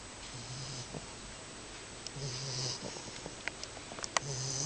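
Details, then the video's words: Sleeping 10-week-old female English Bulldog puppy snoring: low droning buzz with breathy hiss on each breath, three snores spaced about two seconds apart, with a few faint sharp clicks near the end. "Snoring In Sleep (English Bulldog)"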